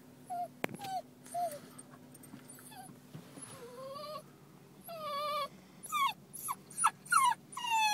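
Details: Libby, a Basenji dog parked in a car with her owner, throws a whining temper tantrum after her mistress has left; scattered high wavering whines and yelps, some with bending pitch, between quiet gaps and faint car interior noise.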